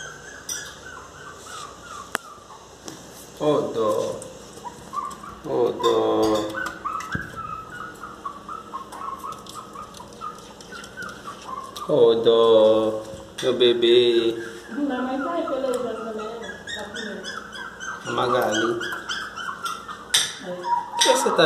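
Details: A Miniature Pinscher outside cries in loud, high, wavering whines, begging to be let into the house.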